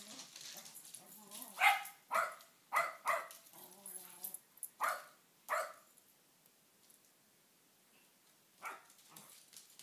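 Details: Shetland Sheepdogs in playful attack mode, nipping at shins: sharp bright barks in a burst between two and six seconds, several close together, a few softer whines and grumbles between, then a lone bark near nine seconds after a quiet spell.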